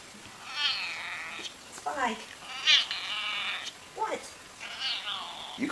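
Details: Domestic pet cat making odd, strained meows indoors: several harmonic wails, some rising and some falling, spaced about a second apart, with a man talking to the cat between calls.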